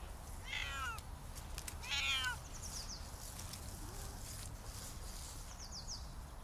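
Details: Siamese cat, one of the pair Otani and Yozora, nine years old, outdoors during a birthday outing with an off-leash walk. Gives two clear, harmonic, drawn-out meows about a second and a half apart, followed by faint high chirps in the background.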